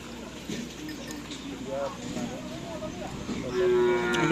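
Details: Cattle at a karapan sapi bull racing practice on the Asemanis field in Pamekasan, Madura, Indonesia: a brief, strong, tonal bellow near the end, over a busy crowd murmur and background noise.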